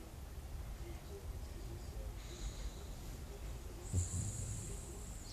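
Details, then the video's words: Dog snoring in sleep at a country cottage after a roughly three-hour walk in nature; low rumbling breaths dominate, steady and soft, with a faint high hiss drifting in midway. "Собака храпит после прогулки"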